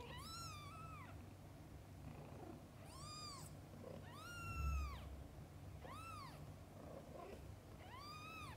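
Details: Cats, mother with kittens: five clear arched meows, each about a second long, repeated roughly every one and a half to two seconds, evenly spaced over a steady low background hum.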